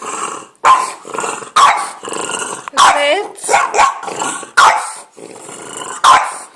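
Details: French Bulldog making odd vocal noises at birds: six or seven throaty, grumbling bark-like bursts about once a second, one rising into a whiny wavering note, with quiet gaps between.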